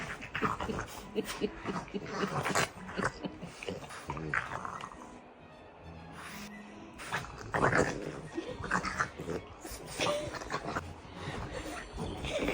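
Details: French Bulldogs wrestling playfully, producing rough, pig-like snorts and growling grunts in irregular bursts, with a quieter stretch in the middle and background music throughout, plus occasional human speech.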